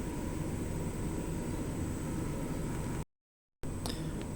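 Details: Steady mechanical hum like an air conditioner fills the room, cut by a brief dropout to silence, followed by a few sharp clicks.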